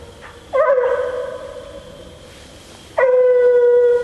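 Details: Female Bluetick Coonhound on a coon hunt, letting out two long drawn-out bawling howls, steady and horn-like, the first about a second and a half long, the second held to the end after a pause.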